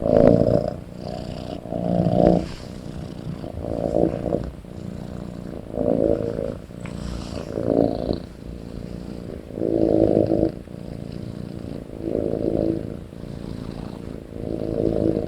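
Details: Kitten asleep and snoring loudly, a deep raspy rumble pulsing in uneven waves roughly every one to two seconds, with brief louder snorts in between.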